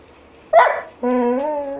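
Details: Golden Retriever gives one short, rough bark, then after a brief pause a sustained, tonal, slightly rising whine-like vocalisation lasting almost a second, close to the recorder indoors.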